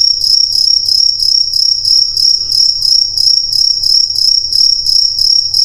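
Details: Crickets producing a shrill, continuous chirp, pulsing rhythmically about three times a second, with a soft low hum in the background.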